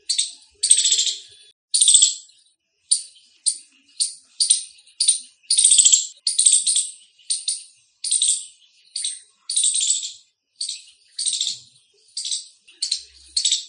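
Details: Loud chirping Indian squirrel producing sharp, high, rattling chip notes in an uneven sequence, some short clicks and some longer buzzy bursts, gaps varying between calls, no other sounds.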